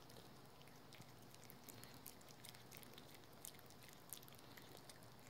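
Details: Rookie, a pet dog at home, gnawing on a dental chew: quiet, irregular crunchy clicks and snaps scattered through a low indoor room hum.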